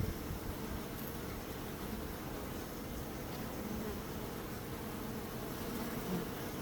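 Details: Bees producing a continuous dense low buzz. The hum stays steady with a few faint brighter flickers, as if a single bee passes closer now and then. Nothing else is heard.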